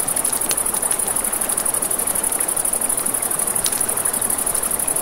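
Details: Night crickets by a river next to a campfire keep up a continuous shrill, rapidly pulsing trill. Under it lies the even rush of the river, with a few bright crackles and snaps from the burning wood.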